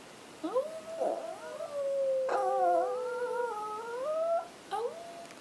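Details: Two pet Chihuahuas howling together indoors; one howls when he cannot find his mom, the other is just learning. Long wavering tones slide up and down and overlap in layered harmony, with a person howling along to start them.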